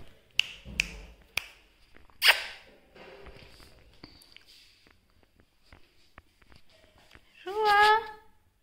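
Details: Persian cat kept as a pet at home gives one drawn-out meow near the end, a harmonic-rich call that wavers slightly in pitch. Earlier come scattered clicks and taps of handling in a quiet indoor room.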